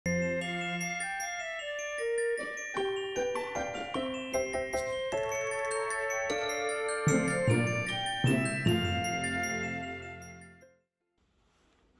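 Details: Bright glockenspiel and chime melody with ringing mallet notes that fades to near silence at the end, with no animal sounds.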